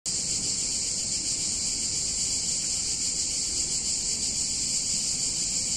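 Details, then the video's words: Cicadas singing on a hot summer day in a picturesque Italian town: a dense, steady, high-pitched hiss-like buzz that holds unbroken throughout, with a faint low rumble of background noise beneath. "Cicadas In Warm Summer Day In Italian Town"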